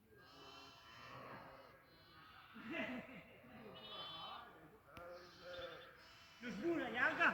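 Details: Several goats on a goat farm give quavering, nasal bleats in quick succession, each lasting about a second and wobbling in pitch. The calls come from different animals and overlap, the last ones louder and harsher.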